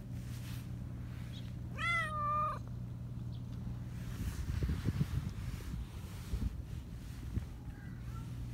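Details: High-voiced black Persian cat, a chatty one, utters a single rising-falling meow, then rustling and handling noises take over beneath a steady low hum.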